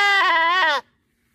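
A goat gives a single loud, wavering bleat that ends abruptly.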